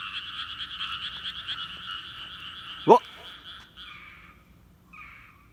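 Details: Rice-paddy frog chorus that falls silent when a person comes near: rattling croaks for about three seconds, a sudden sharp rising sound, then the chorus breaks off and only a couple of short, faint croaks follow.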